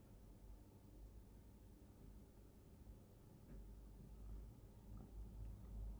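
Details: Pet cat purring while getting belly rubs, a deep continuous low rumble that grows louder toward the end, with faint rubbing sounds.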